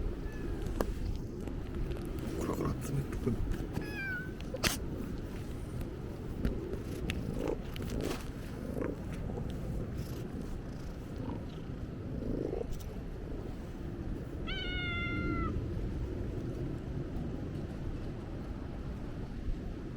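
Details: Stray cat on the cat island of Ikeshima, around the end of 2024 and start of 2025, gives two clear meows, one short and falling, a later one longer and bending, amid voices, handling knocks and low background rumble.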